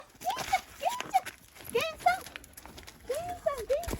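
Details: Gen-san, a grown rescue dog, gives short excited whimpers that sweep upward, in quick pairs with pauses between, while a woman greets him warmly in Japanese.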